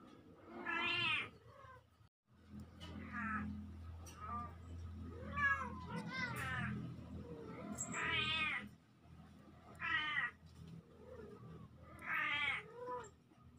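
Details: Two young kittens, filmed October 17, 2024, call in a string of short arched mews spaced every couple of seconds, over a steady low hum in the background.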